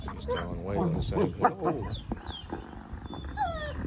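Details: A female wolfdog gives a light, harsh, tonal growl in quick bursts while mouthing a male wolfdog, reasserting her dominance without hurting him as he tries to lick her face and submit.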